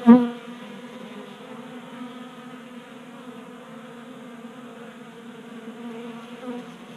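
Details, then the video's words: Wing hum of honey bees at a 3D printed table-top feeder inside a Colorado garage in January, kept active by unseasonal warmth. A short knock at the start, then a clean, steady low buzz with clear harmonic bands. "Honey Bees Feasting from 3D Printed Bee Feeder"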